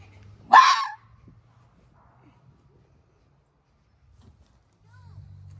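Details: A red fox gives a single harsh, rasping alarm bark at a rarely seen person in its fox yard territory, warning that he is not a welcome visitor.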